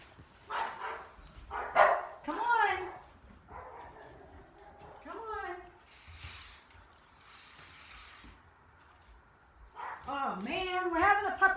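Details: Two pet dogs barking together during a play date: bursts of yappy, rising and falling barks and yips in uneven clusters, with a woman talking quietly between them.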